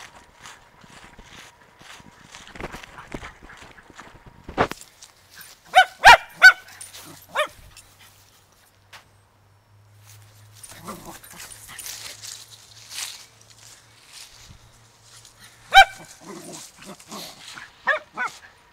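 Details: Poodle filmed on 11/7/2009 with a Samsung DualView compact camera: a few sharp, harmonic barks bunch together around six seconds and return near the end, with quieter rustling and a faint low hum between them.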